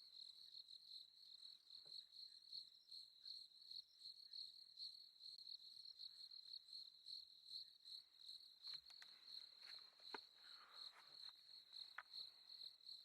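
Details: Night-time crickets heard on a safari drive: a continuous high-pitched pulsing trill held at a single pitch throughout, with brief knocks and a soft rustle partway through.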